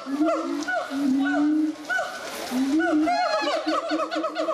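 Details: Gibbons singing in captivity at the Doué-la-Fontaine zoo, France, 2010: repeated rising whooping hoots, some overlapping, with higher swooping calls layered on top and building toward the end.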